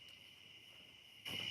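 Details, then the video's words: Cicadas calling in the background on a summer evening, with mosquitoes about; a steady, unbroken high whine, briefly overlaid by a burst of louder noise near the end. "Summer insects are hopping."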